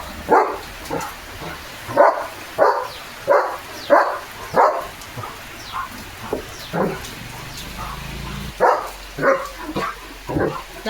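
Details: Leo, a German Shepherd Dog, barks loudly while getting soaked and playing in heavy rain. About a dozen sharp barks come in quick bursts, with short pauses between them, over a steady hiss of rain.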